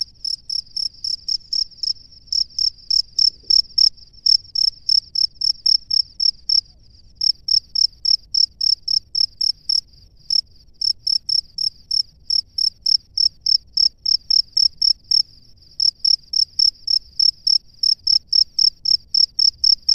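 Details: A male cricket in its nest calls to attract a female, giving a long run of short, bright, high-pitched chirps about three or four per second, with a few brief pauses and a faint low rumble beneath.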